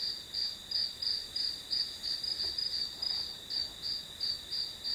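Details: Grass insects heard as study-session background noise, sounding as a clean, high, rhythmic chirping of roughly three pulses per second over a continuous shrill ringing, with little else audible.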